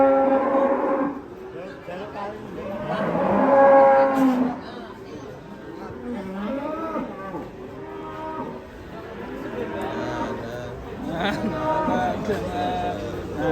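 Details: Cattle said to be raging while unloaded from a truck, giving several drawn-out, harmonic moos, some rising and falling, spaced a few seconds apart across the recording, with people talking in the background.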